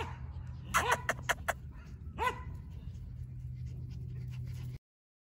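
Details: Border Collie puppies, 49 days old, German father and Russian mother, making a burst of quick yelps and clicks, then a single yip, before falling silent.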